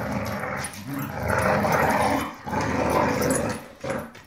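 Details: Dogs tugging and fighting over a rope toy: loud, rough, continuous growling in harsh snarling bursts with brief pauses, one sharp bark-like burst near the end.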